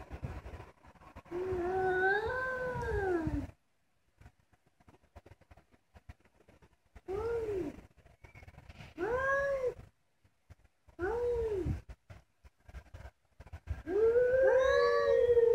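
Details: Domestic cats calling to each other: a long wavering meow, then short arched meows separated by silences, ending in a sustained louder yowl.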